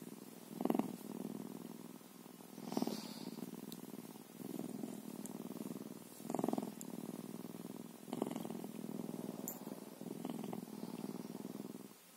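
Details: Steady rumbling purr from a bobcat, rhythmic and low, surging louder about every two seconds with faint soft knocks.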